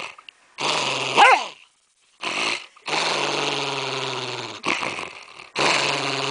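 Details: Pet dog guarding its candy cane bone while its owner is too close, growling in long, rough, rumbling bursts of one to two seconds separated by short silences, with a sharper snarl near the start.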